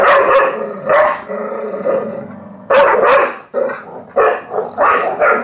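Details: Two pit bulls, close companions, tussling in play over a dog toy indoors: loud rough growl-barks in bursts with a low continuous growl between them, a person's voice chiming in.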